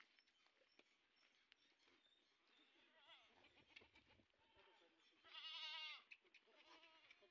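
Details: Sojat bucks, one of 130 male goats kept on a farm in Indave, Sakri taluka, Dhule district, readied for Eid. Faint wavering bleats build to one loud, strained, quavering bleat near the end, with soft background murmurs.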